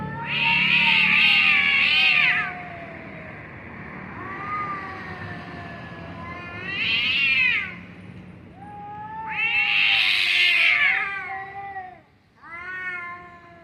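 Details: Pair of cats making funny noises: loud harmonic-rich yowls alternating with lower sliding moans, four main wails over the stretch, the last one short and abrupt.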